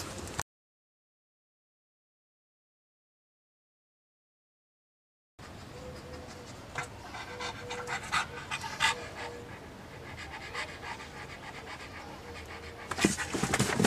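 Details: Pug panting in quick, breathy bursts, roughly three per second, after a silent opening of about five seconds; a faint steady hum runs underneath and a louder rustle comes near the end.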